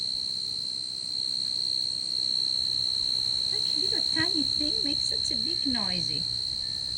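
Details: A tree cricket in a backyard garden, antennae about 2 inches long and body half an inch, sings a steady, high, ringing trill without pause; a person talks softly over it.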